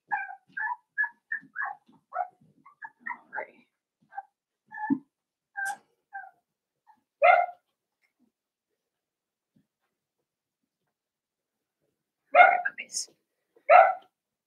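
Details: Blenheim Cavalier King Charles Spaniel puppies, a litter of five in a home puppy pen indoors. A rapid run of thin, high yips and squeaks over the first four seconds, then a lone bark, a long pause, and a final few barks.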